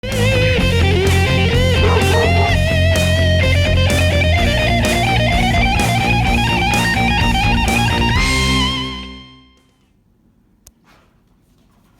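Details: Loud electric guitar rock music with steady driving chords, fading out near the end to near silence with a single faint click.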